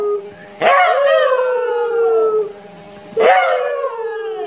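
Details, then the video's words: Dog in an angry-dog barking compilation giving two drawn-out howls, each starting abruptly and sliding gradually down in pitch over about two seconds, with a faint lower voice beneath. "dogs barking sounds angry"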